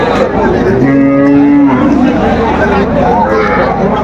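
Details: Cows with calves at Aftabganj cattle market, Dinajpur, on 21 June 2025: a long, steady harmonic moo holds for about a second amid dense market crowd noise and voices.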